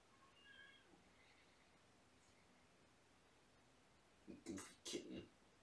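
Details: Young shelter kittens in the morning, part of a litter of three born November 22: a few faint, thin meows in the first seconds, then a man speaking Spanish loudly over them.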